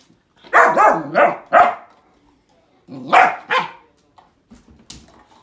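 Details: Hollie, a pet puppy, barks at a grapefruit in two bursts: three or four quick sharp barks, a pause, then two more, followed by faint snuffling sounds.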